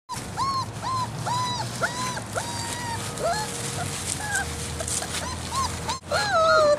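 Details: Great Dane puppies outdoors in leaves and straw on a winter vegetable bed, only their second time outside, with their mother Boe nearby; repeated high, arching whimpers in quick succession, one long drawn-out whine near the end.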